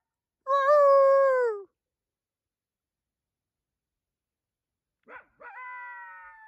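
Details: Coyote howling at night beneath the full moon in a calling exchange: a drawn-out, slightly falling howl, then about three seconds of silence, then a brief yip leading into a higher wavering howl.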